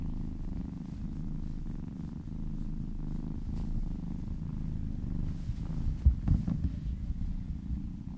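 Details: Happy kitten purring during a relaxing massage: continuous deep vibrating rumble, even in loudness, with soft handling noises around six seconds.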